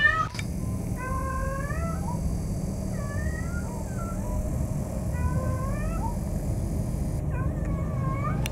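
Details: Cat in heat calling for a mate, giving a series of short wavering, slightly rising meows spaced about a second apart, with steady low rumbling background noise.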